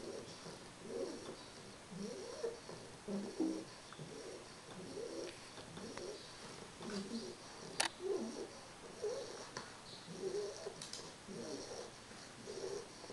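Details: Three-month-old English Bulldog puppy snoring while asleep; soft, low rasping snores repeat steadily about once a second over a faint background hiss.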